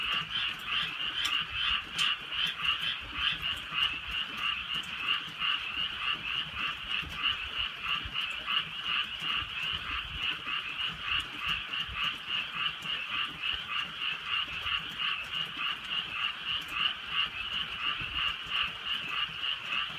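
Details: Frogs in the countryside at night while drizzle falls, a massed chorus of rasping, rattling croaks throbbing about three times a second, with occasional crisp drips of rain cutting through.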